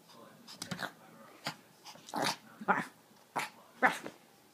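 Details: Little puppy named Bear in one of her crazy moments indoors in a small room, giving short bursts of growling and yipping spaced irregularly, some sharper and louder, with faint human voice in the background.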